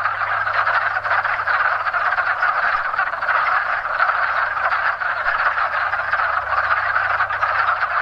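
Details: Wood frog; mating chorus; males calling to attract mates during breeding season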